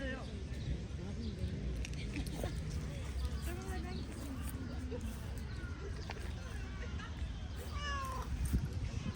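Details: Stray black-and-white street cat in an urban setting, offered food it shows little interest in; a short rising meow with bright harmonics comes near the end, over human speech and a steady low city rumble.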